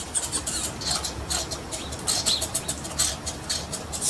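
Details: Angry squirrels fighting: harsh, high-pitched chattering bursts, repeated roughly every half second, with faint rustling underneath.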